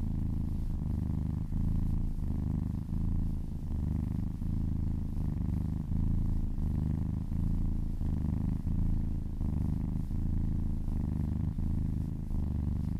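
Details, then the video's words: Happy domestic cat purring while being massaged: a steady, low rumbling drone with soft pulses in a regular breathing rhythm, continuous throughout with no other sounds. "Purring kittens"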